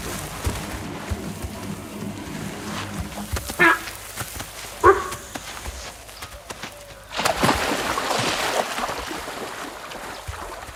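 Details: A sambar deer gives two sharp, honking alarm calls, warning of a tiger hidden in a nearby bush.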